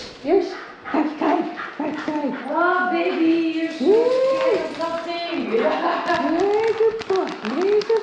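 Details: A 4-year-3-month-old male Shiba Inu screams in distress at the vet in Rotterdam during annual vaccination injections, November 2023, giving high, arching wails and yelps over people talking.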